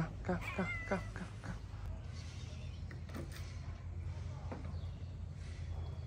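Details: Shy homeless tabby street cat in Morocco, approaching people at feeding time after a white cat: a quick run of short, harmonic meows, some rising, in the first second, then a person talking over low steady background hum.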